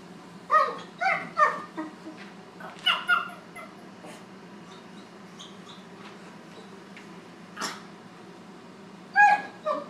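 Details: Young Great Dane Draper, roughly four months old, first meeting older dog Lucy; a quick run of loud yelping whimpers opens, then sparse cries, one isolated yelp and a final pair of sharp squeals.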